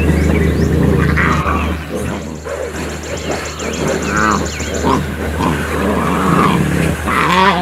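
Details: Lion cubs of the Kambula lioness at Mala Mala Game Reserve, Africa, squabbling while she nurses them: strained, wavering squeals and growly cries rise and fall over a steady engine drone, with faint high chirps above.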